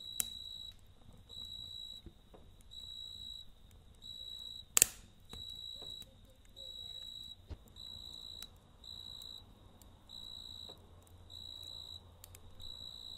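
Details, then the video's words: Cricket singing at night next to a campfire, its shrill tonal trills coming in regular bursts roughly once a second, with a single loud fire crack and faint crackling underneath. "Kamp Ateşi ve Cırcır Böceği Eşliğinde Dinlendirici Gece Sesi"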